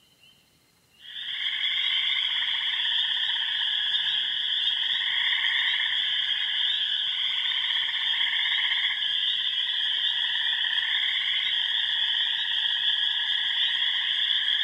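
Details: Mixed frog chorus from remote ponds on the Yellow Dog Plains of Upper Michigan, with wood frogs, spring peepers, green frogs, gray tree frogs and toads. After a near-silent first second, a dense, steady wall of high trilling and pulsing voices sets in.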